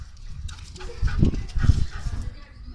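A Bull Terrier gives two short, deep, muffled barks about half a second apart.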